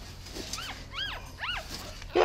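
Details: Mother dog and her puppy being moved into a new dog house; three high, arching whimpers about half a second apart, each rising and falling, over faint background noise, ending in a brief clatter.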